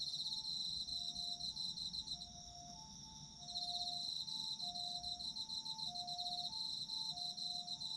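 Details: Autumn insects in a sleep-relaxation recording: high, rapidly pulsed chirping trills, dense and shimmering. They drop quieter briefly near the middle and then resume, over soft alternating low sustained tones.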